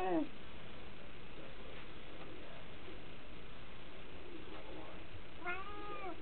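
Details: House cats in DC, winter 2010: a meow is cut off at the very start, and a second bowed, rising-then-falling meow sounds near the end. In between there is low indoor background noise.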